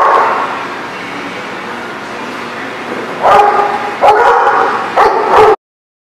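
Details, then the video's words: Dog barking at a barking lot on 12/10/18: after a few seconds of murmur, three loud harsh barks follow about a second apart, then sudden silence. "The Barking Lot"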